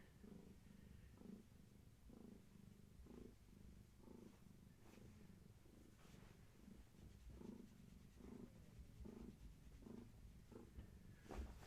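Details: Long-haired tabby mother cat purring contentedly as she turns around for a leg and back scratch, kittens nearby, evening indoors; continuous low rumbling purr pulsing with each breath, slight rustling at the end.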